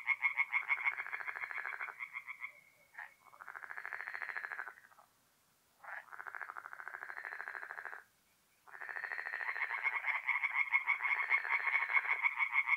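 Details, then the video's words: Tree frogs singing at night in a forest pond in mid-April, North-East Italy: rapid pulsed croaking trains, several overlapping callers, broken by two short pauses near six and eight seconds before the chorus swells again. "relaxing forest pond by night with singing tree frogs"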